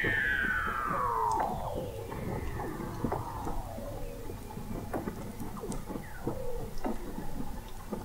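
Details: Weddell seals under thick sea ice, recorded in November 2017 at the McMurdo Oceanographic Observatory, 21 m below the ice in McMurdo Sound, Antarctica: a long glissando sweeping steadily downward, then a busy scatter of short chirps, clicks and pulses.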